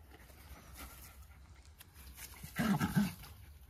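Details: Two Jack Russell Terriers, close friends, wrestling for fun in a play fight: quiet rustling, then a short rough low growl with a wavering tonal core near 2.6 seconds, lasting about half a second.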